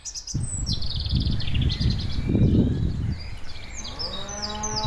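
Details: Cows walking around low and shuffle, ending in a deep harmonic moo, with small birds chirping above.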